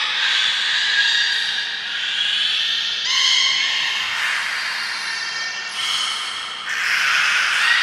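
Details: Belugas Gray, Nana and Mirai in training at Port of Nagoya Public Aquarium, 31 May 2022, giving a continuous run of high, harmonic whistles and squeaky buzzes, with a clear rising tonal whistle near the third second and a low steady hum beneath.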